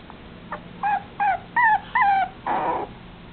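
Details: Male red long-haired Dachshund puppy whining indoors: five drawn-out, high, slightly falling whimpers in quick succession, each about a quarter second, ending in a breathy, rougher squeal, with a faint steady hum beneath.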